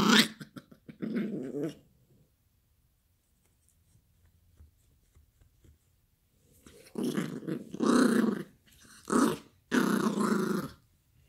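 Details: Yorkie puppy Gracie play-growling over a toy indoors: a rough growl at the start, a long quiet stretch, then four loud, harsh growling bursts in close succession.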